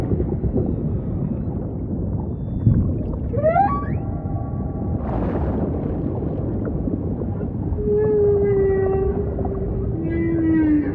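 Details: Humpback whale singing over a deep ocean rumble, opening with quick rising chirped sweeps, then a short noisy burst, and ending in sustained level moans with bright harmonics that drop slightly in pitch.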